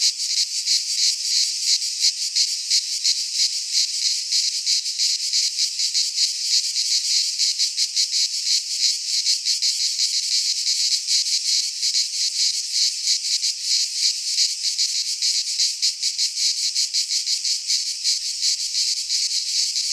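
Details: Greek pine-forest cicadas in midsummer, singing together in a steady high-pitched sizzling buzz that throbs in rapid pulses for the whole stretch, with no other animals or noise.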